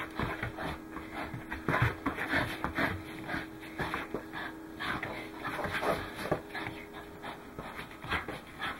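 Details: Welsh Corgi named Goro panting while running, recorded 12 December 2010: rapid, breathy, irregular huffs running throughout, with a faint steady hum in the background.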